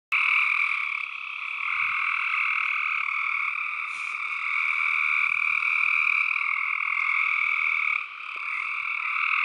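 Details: Tree frogs in a dense, unbroken chorus of overlapping croaks, forming a steady buzzing wall of sound with two strong mid-high pitch bands and a brief dip in loudness near the end; no other sounds.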